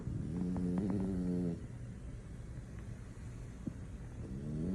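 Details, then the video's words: Male French Bulldog fast asleep and snoring: a low, buzzy, harmonic snore lasting about a second and a half, a quiet gap, then another snore beginning at the end. "French Bulldog snoring, nothing can wake him up"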